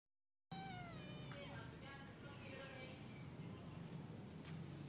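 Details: A kitten at play gives a single meow: a bright harmonic call that slides downward, followed by faint softer sounds, with a steady high electronic whine and low room hum underneath.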